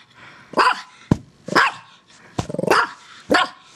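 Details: Six-year-old female pet dog at play, barking four times in sharp, bright bursts about a second apart, with two loud clicks between the barks and a quiet room behind.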